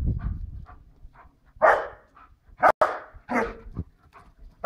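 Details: Female White Swiss Shepherd Tina barking while running about, warning passers-by with a dog behind the wall; several loud separate barks with short gaps, a sharp click, and soft breathing early on.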